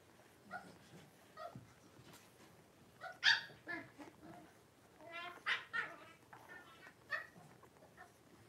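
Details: Five blenheim Cavalier King Charles Spaniel puppies, born at New Year to Paris and Spike, with mother Paris in the Red Barn Cavaliers puppy pen, 26 January 2023; high, wavering whimpers and short yips in scattered bursts, the loudest cry midway.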